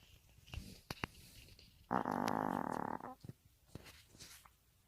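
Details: Maltese dog snoring: a single harsh, buzzing snore lasting about a second, surrounded by faint clicks and small rustling noises in a quiet room.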